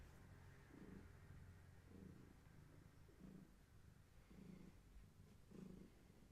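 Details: Gaia, a long-haired tabby cat pregnant with many kittens, purring while held indoors; a soft low purr swelling in regular pulses about once a second over a quiet room background.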